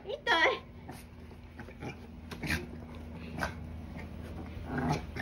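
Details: A Maltese, angry at its owner, gives a sharp, high-pitched bark followed by softer yaps amid a person's voice indoors.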